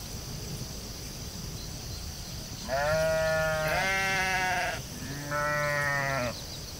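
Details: Sheep out in a field giving three wavering, harmonic bleats in quick succession, each about a second long, the last after a short pause, over a steady high hiss and low rumble of outdoor background noise.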